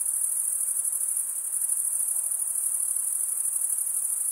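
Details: Crickets stridulating, likely males rubbing the toothed vein of one wing against the other, make a steady, dense, very high-pitched pulsing trill that never pauses. No other sounds intrude.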